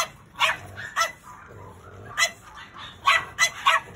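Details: A black pug walks with a curled tail, giving about seven short, sharp, yappy barks in irregular bursts: two early, one near the middle, then a quick cluster of four toward the end. Quiet background murmur sounds between the barks.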